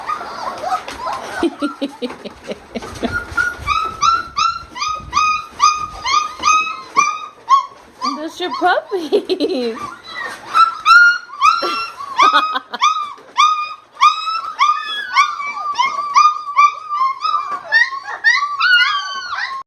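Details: Excited Brittany spaniel father greeting his puppies: long run of quick, high, piping whines and yelps, steady and insistent, mixed with people's voices and laughter indoors in the first half.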